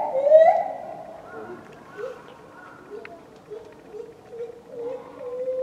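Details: A lar gibbon at Tama Zoo, Japan, in February 2020 gives a loud opening hoot, then a series of short rising, whooping notes.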